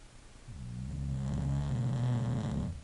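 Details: Sleeping English Bulldog producing one long, deep, rattling snore that swells in over half a second, holds a steady low buzzing drone for about two seconds, then stops abruptly.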